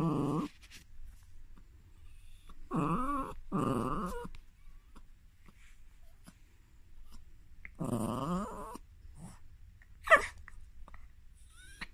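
A dog gives short, squeaky whining grumbles with wavering pitch, separated by pauses.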